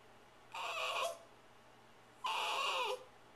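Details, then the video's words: Female Shiba Inu Sachi urging her owner to get her dinner ready, April 23, 2010, indoors; two steady, drawn-out whines about a second apart, each lasting over half a second. "Shiba Inu Sachi - Hurry up!"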